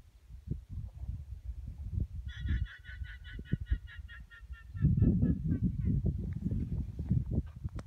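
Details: Guanacos near the Draga Aurifera in Patagonia. A rapid, stuttering, high trilled bleat of about a dozen quick pulses lasts around two seconds. Heavy low wind rumble runs throughout.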